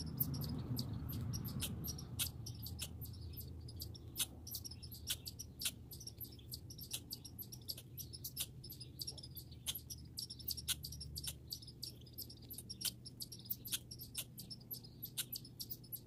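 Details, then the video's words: Rapid, uneven series of bright clicks and chips from backyard grey and red squirrels, close to four per second, with a brief rumble at the start and a low hum. "Grey & Red Squirrel Sounds"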